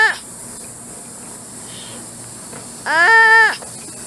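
A two-toed sloth gives a single nasal, bleating cry, rising then falling and lasting under a second. A clipped call opens the recording over a faint hiss.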